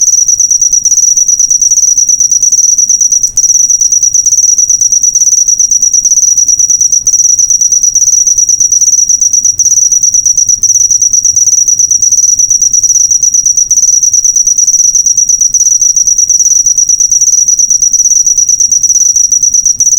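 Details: Used to train cage birds, a cricket's sustained high trill made of rapid even pulses, continuing steadily on one tone for the whole stretch with only tiny gaps.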